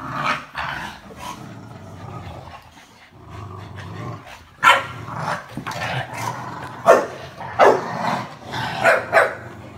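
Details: Four Olde English Bulldogges in one household; low growling at first, then a run of sharp barks and yaps, several overlapping, coming irregularly through the second half.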